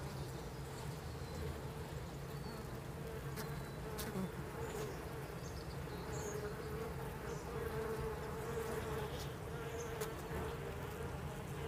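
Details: Hum from inside a beehive on day 30: a continuous, even buzzing drone with a steady mid-pitched tone running through it, plus a few faint clicks and scrapes.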